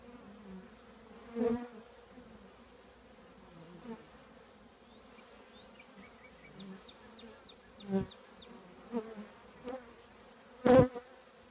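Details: Honey bee colony living in an old trash can, a steady low droning hum with layered overtones throughout, broken by a few sharp knocks and faint high chirps of distant birds.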